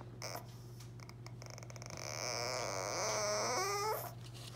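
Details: Remy, a young French Bulldog puppy shut out of the kitchen behind a baby gate during frying, gives a drawn-out whine that wavers and then climbs in pitch near the end, over a steady low hum and clattering kitchen noise.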